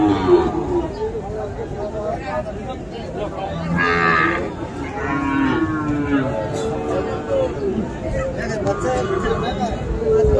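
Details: Lowing from Sahiwal bull calves at Ambari market on 1 December, where a Chattogram farmer is buying cattle; moderate, rising-and-falling moos around the middle, set against a constant murmur of people talking.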